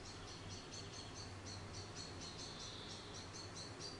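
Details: Baby grey squirrel Charlie, an orphan fallen from a garden nest and raised by hand, utters a steady series of sharp high squeaks, about four per second, with a faint low hum underneath.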